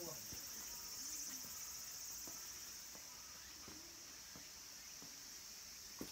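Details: Cicadas sing in the wooded mountains around Kabusanji, a Buddhist temple in Takatsuki, Japan, as summer nears its end. Their high, shrill chorus drones without a break, with a few soft knocks and thumps now and then.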